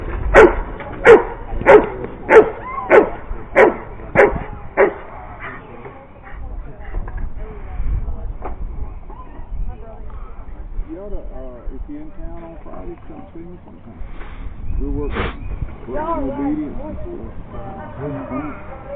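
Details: Giant Schnauzer with its owner, giving a run of eight sharp, loud barks about two-thirds of a second apart, then falling quiet while soft whines and human talking take over.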